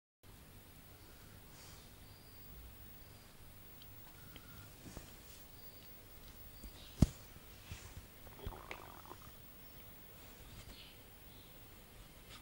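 A sleeping Bull Terrier snores softly with a low, rumbling breath.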